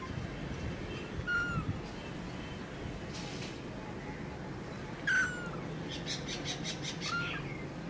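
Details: A newborn kitten gives thin, high mews that slide downward, spaced a few seconds apart.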